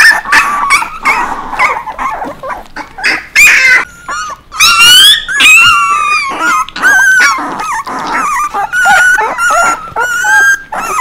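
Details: Several puppies yelping, yipping and whining, with short sharp yips early on, then longer rising and falling whines that overlap, busy and loud throughout.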